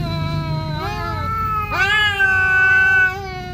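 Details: Territorial standoff as a Siamese cat rages at an orange intruder: a low drawn moan that abruptly jumps into a higher, strained, steady howl.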